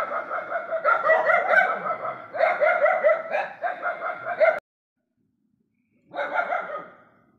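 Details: Night-time barking from stray dogs together: a continuous chorus of overlapping loud barks for over four seconds, abrupt silence, then one more short bark burst.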